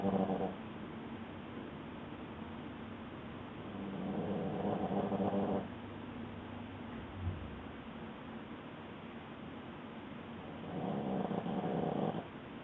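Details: Boston Terrier asleep and snoring, giving hoarse, grating breaths that rise in three longer bursts at the start, middle and end, with a soft thump between them and faint background hum.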